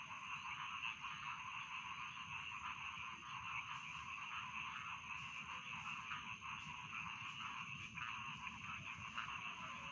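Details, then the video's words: A rice field frog chorus at bedtime, thick and continuous, with many overlapping trilling croaks merging into one steady buzz. Faint brief clicks and a soft low rumble sit beneath the chorus. "Bedtime Frog Sound || Suara Katak Sawah Pengantar Tidur"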